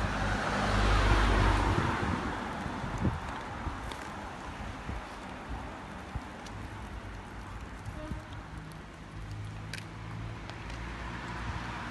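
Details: Outdoor traffic noise with a passing vehicle and wind, plus faint clicks, but no animal voice.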